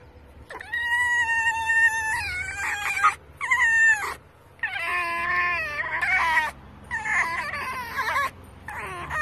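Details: Rescued red fox squealing with excitement while being petted: high, whining, harmonic squeals in bursts of one to two seconds, some rising then holding level, separated by short pauses.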